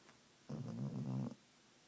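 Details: Sleeping dog, dreaming, giving one low, drawn-out snoring growl with a wavering buzzy tone lasting nearly a second, in a quiet room.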